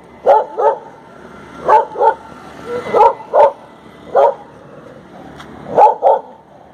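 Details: Female Indian pariah dog Tofy barking during a morning walk: clear, sharp barks mostly in doubled pairs, about five bursts spaced one to one and a half seconds apart, over a quiet background.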